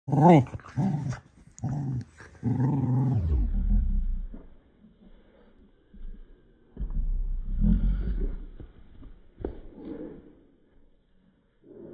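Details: Young male cocker spaniel puppy upset with his Baby Yoda toy: low, rough growling in uneven bursts, with a few higher squeaky yelps at the start, then pauses and quieter grumbles.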